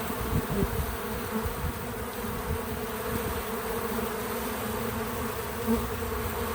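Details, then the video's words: Steady buzzing of bees visiting a feeder, a low layered drone swelling slightly at the start and near the end, with no narration or music. "Bees in Slow Motion at the Feeder 🐝 | Natural Buzzing Sounds"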